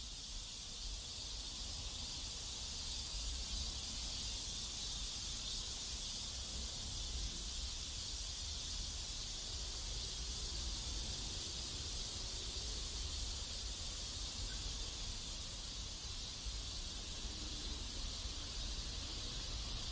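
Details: A steady, high-pitched cicada chorus buzzes without pause in a neighborhood in South Korea, with a low rumble of distant traffic or wind underneath.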